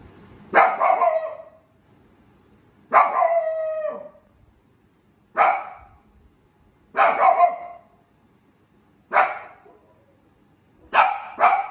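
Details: A female Shiba Inu proudly gives loud, single barks, spaced about two seconds apart.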